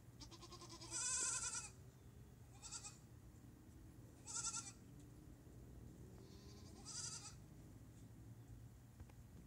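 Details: Herd of female goats calling repeatedly: four quavering bleats spaced about two seconds apart, the first loudest, over a low hum and rustling.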